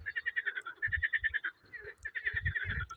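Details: Frog calling in spring, trying to outshout the others: rapid pulsed trills repeated in fast bursts, with low thumping sounds underneath.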